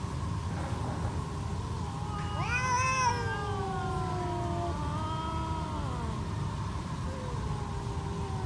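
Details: Stray cats squaring off with loud yowls: a harsh, rising wail swells and peaks early, then eases into long, wavering moaning tones that trail off, against constant low-pitched background noise.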